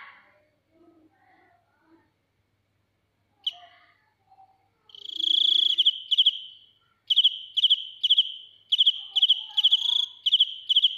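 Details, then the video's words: Field cricket heard at close range: mostly quiet at first with a few faint soft sounds and one sharp click, then loud high chirps of rapid pulses begin and repeat in pairs and short bursts. "Cận cảnh dế mèn kêu, gáy inh tai - Real cricket singing"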